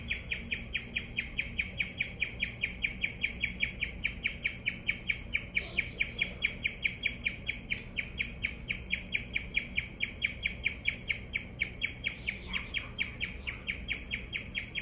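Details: Guinea pig chirping: a long, steady run of high, bird-like chirps repeated roughly twice a second, each a short bright note with strong overtones, continuing almost without pause against a faint low room hum.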